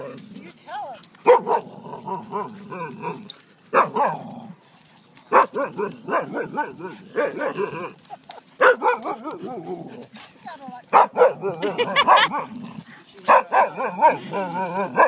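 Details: Six-year-old Greater Swiss Mountain Dog Lilo at a dog park, playing with Snow, an eight-month-old Husky; throaty growling and yappy vocal bursts come in clusters with brief silences, a few higher whiny tones mixed in.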